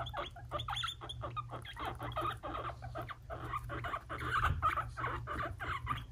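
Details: Fighting between two young male guinea pig brothers, Fluffy and Cocoa, five months old, kept as pets: dense, rough bursts of clipped squeaks and chatters packed closely together, with a constant low background hum.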